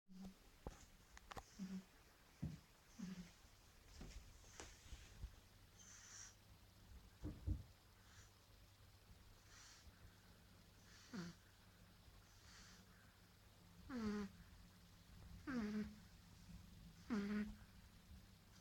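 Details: Marley, a tired nine-week-old baby pug, snoring while asleep indoors: soft breathy rasps at first, then three louder nasal snorts with falling whistled tails late in the sequence, set against a low steady hum.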